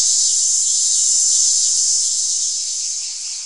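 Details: Cicada producing an intense high, hissing buzz, continuous and even, slowly tapering in loudness toward the end.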